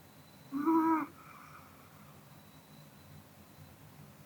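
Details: A single brief, buzzy, harmonic snore from Kodama the Pomeranian, dozing after a meal indoors, followed by soft breathing and near silence.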